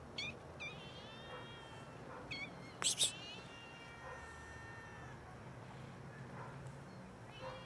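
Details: Hungry cats begging for food, meowing loudly until fed: short meows at the start, then a long, drawn-out wail held for about two seconds, with sharp knocks and a steady low hum behind.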